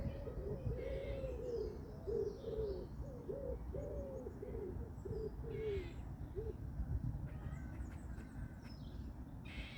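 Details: Squirrels in a local park, perhaps courting or arguing, give a run of low, hoarse, rounded notes repeated rapidly, about two per second for six seconds, then stop; outdoor rumble and a few faint bird chirps behind.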